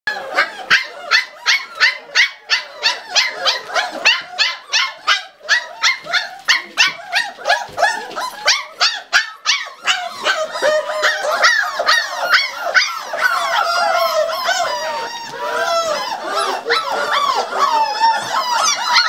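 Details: Five-week-old Pembroke Welsh Corgi puppies clamoring for food, a rapid run of sharp yaps repeated about three times a second for ten seconds, then dissolving into overlapping high whines and squeals from several pups at once.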